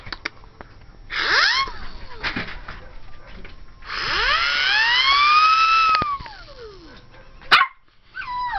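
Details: Ivory, a young cream and white Pomeranian female 12 weeks old, at play: long drawn-out tonal howls that rise and then fall, the second held for about two seconds, followed by one short sharp bark.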